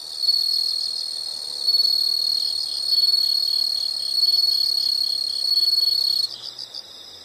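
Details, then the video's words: Insects make a continuous piercing high trill that swells and fades in waves about every second and a half, then cuts off into a few softer, quick chirp bursts at the end. "the sound of insects"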